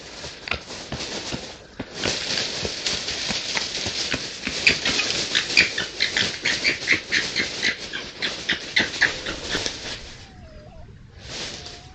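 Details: Red foxes at night on a woodland edge surrounded by fields in East Sussex, caught by trail camera while playing, fighting or establishing territory; a dense run of harsh, scratchy crying calls repeated roughly once a second, then a quieter pause.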